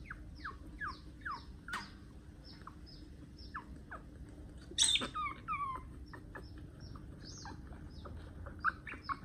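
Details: One-month-old puppy squealing while its long nails are trimmed: short, high, downward-sliding squeaks repeated about every half second, with a louder cluster of sharp cries and clicks near the middle.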